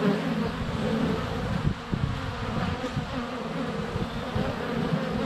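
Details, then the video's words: Honey bees in flight at a hive entrance on a sunny February day, recorded up close with a GoPro Hero 7 Black; a dense, steady low hum of many wingbeats with fluctuating drones and soft thumps as bees land on the camera. "Honey Bees - ambient video and audio"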